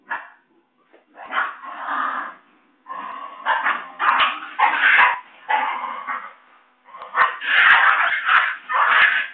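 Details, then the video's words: Playful Basenji puppies in Saraburi, Thailand, running fast toward their mother during a play-fight, recorded 6 February 2011; long, dense bursts of whining yelps and squeals, each lasting one to two seconds, separated by short gaps. "Basenji Puppies Thailand . / Running fight fight !"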